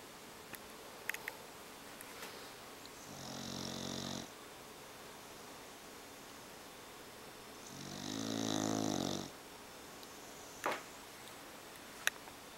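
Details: English Bulldog named Momo snoring, two long rasping snores about four seconds apart, each a buzzy rattling breath with hissing overtones, over steady room hiss and a few soft clicks.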